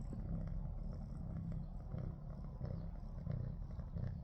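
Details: Female cat, badly frightened after being attacked by a big cat the night before, purring; a continuous low rumbling throb with bubbling, croaking texture and faint rhythmic pulses, close to the microphone.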